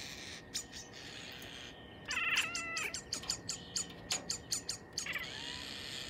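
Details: A 6-month-old female Bengal cat sits at a window and chirps and "barks" at birds. She gives a burst of short, sharp chirps in quick succession, with a low background hum.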